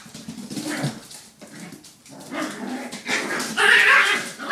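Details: Five puppies playing together, giving overlapping high whiny yips and short whimpering barks with squealing harmonics, the calls growing louder and more continuous toward the end.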